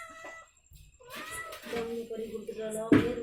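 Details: Ishu, a female cat that has just given birth to kittens, gives a long, steady, tonal meow indoors, overlapping a woman's worried Tamil speech and faint music.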